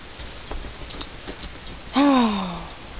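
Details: Trigger, a black German Shepherd dog, 'talks' indoors at night; he likes to argue. After soft rustling and tapping comes one drawn-out, moaning vocalisation that starts strong and slides gradually downward in pitch for under a second.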